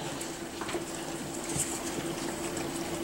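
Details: Soft, bubbling, watery hiss with faint clicks indoors, with no clear animal voice.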